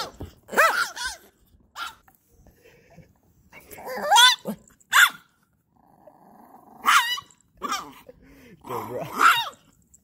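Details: Tiny chihuahua puppy at a dog beach in California, fighting off a Siberian husky that defends his personal space: intense harsh growls and sharp yapping barks in short bursts, separated by pauses, with a low whine between.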